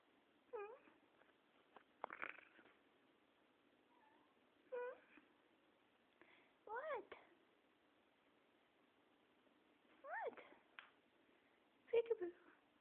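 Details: Cat meowing after falling off a cat tree: about five short, bending meows spread over the recording, several rising then falling, with a person talking and laughing between them.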